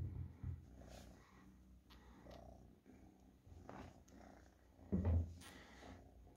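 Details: Pet cat giving a continuous low purr that pulses with its breathing, with a louder burst near the five-second mark and light rustling noises.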